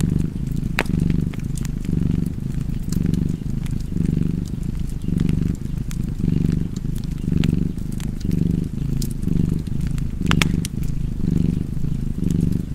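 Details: Domestic cat purring beside a fireplace: a steady low rumbling purr that swells and fades in a regular rhythm about once a second, with sharp crackles and pops from the fire scattered throughout.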